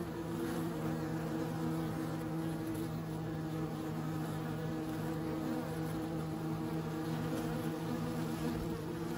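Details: Steady buzzing of bees, a deep, even drone with stacked low tones sustained across the whole stretch.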